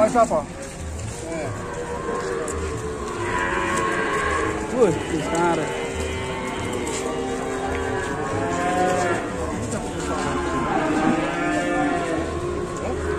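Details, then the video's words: Cattle described as a fierce, wild cow at an Indonesian cattle farm; overlapping low harmonic moos rise and fall through the clip, several voices at once, over steady background hum and a brief louder burst near five seconds. "SAPI GILA GALAK"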